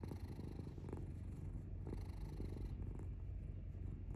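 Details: Domestic cat purring steadily indoors, a low continuous rumble with regular breathing pulses about once a second and no other clear sounds.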